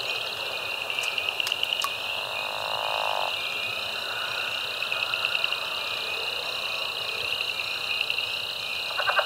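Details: A dense frog chorus recorded 10 March 2024 at Caddo Lake National Wildlife Refuge, eastern Texas, with spring peeper, Cajun chorus frog, southern leopard frog and pickerel frog, gives steady high trilling and pulsing calls from many frogs at once.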